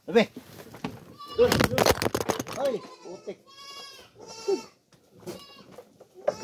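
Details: Goats fed coconut pulp bleat several times in short wavering cries, mixed with loud clattering, chewing noises and a man's voice.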